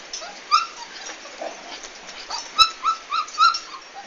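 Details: Komondor recorded on 11 March 2016 during a big move; high, tonal whimpers and yelps rise and fall in short bursts, clustered in the second half, with soft rustling noise throughout.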